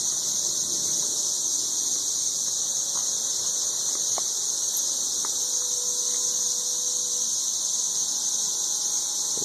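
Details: Extremely loud massed 13-year periodical cicadas near Nashville, Tennessee, giving a continuous shrill droning buzz with no pauses. A few faint thin tones and brief clicks sit quietly underneath.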